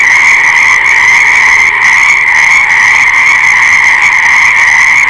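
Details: Dense, steady frog chorus: countless overlapping pulsed trills merge into one constant, ringing drone with only slight flickers in intensity and nothing else audible.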